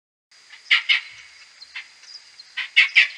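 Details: Whiskered bat Type A social calls in a May 2022 maternity roost inside a wooden hide, slowed tenfold: a few sharp clicky pulses in two clusters near the start and end, with softer scattered ticks and a steady high hum between.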